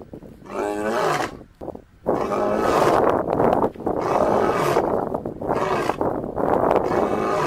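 A lion gives a series of loud, raspy, rumbling roars with brief pauses between them.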